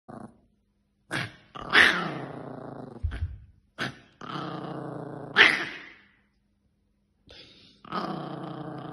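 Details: Yorkshire Terrier; growling bark; expressing anger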